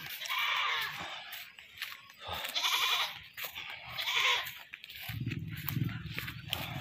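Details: Loud, quavering bleats come from a goat that was caught and then slaughtered. Three harsh cries of under a second each are separated by gaps, and a low rumbling noise enters near the end.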